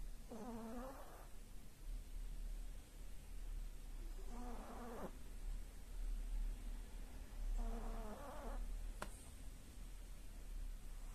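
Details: Sleeping pug named Aya gives rhythmic snores, a buzzy nasal whistle on each breath roughly every four seconds, three in a row, with a faint click near the end and low room hum beneath.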